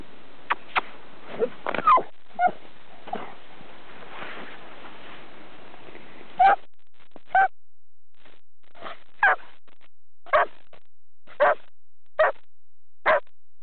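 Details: Two champion springer spaniels romp in snow in Sweden; after a spell of scuffling with a few soft yips, a steady run of about ten short barks and yelps follows, roughly one per second.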